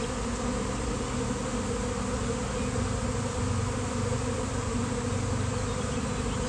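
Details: Swarm of honeybees appearing suddenly on a fine-weather day: a dense, steady low hum layered in bands, unbroken and even in loudness from start to finish, with no other sounds.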